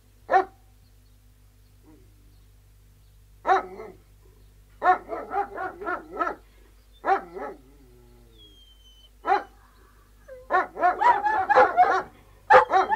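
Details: Outdoors, three Alsatian guard dogs give scattered single barks, then rapid volleys; a brief thin descending whine appears midway before the barking thickens into overlapping, clustered barks at the end.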